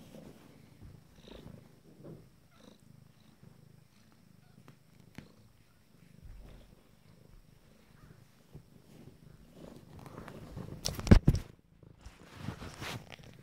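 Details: Nine-day-old kittens from a first litter, eyes just opening, purring in a soft, continuous low rumble with small fluctuations; a brief loud rustle or bump breaks in near the end.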